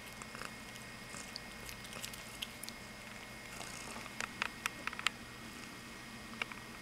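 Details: Cleo, a cat, purring while snacking on wheatgrass she begs for: a steady low rumbling purr runs beneath crisp crunching and clicking chewing sounds scattered through the clip.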